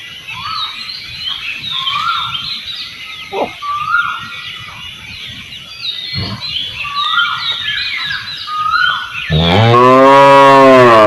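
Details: Village cow heard after a stretch of busy bird chirping and scattered clucks; near the end a loud, deep moo begins suddenly and holds steady to the close.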